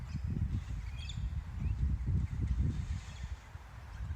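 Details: Low, throaty kangaroo clucks, probably part of courtship, come in quick irregular bursts, about three or four a second. Brief thin bird chirps sound faintly behind them.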